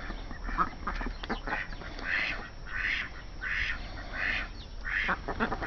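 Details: Farm mallards giving hoarse nasal quacks, repeated roughly every half second in uneven runs, over a steady background hiss.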